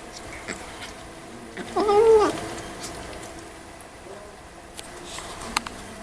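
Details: Eating kitten gives a single short, quieter meow with a gently arched pitch, surrounded by soft chewing clicks and faint background hiss.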